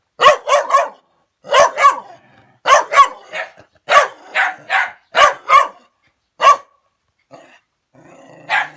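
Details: Angry dog, approached by a person on its turf, gives loud sharp barks mostly in pairs, roughly every second, then falls quiet apart from a soft low growl before one final bark.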